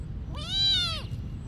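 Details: Monastery cat giving one drawn-out, clear meow lasting about a second that swells and then fades, over faint low background hum.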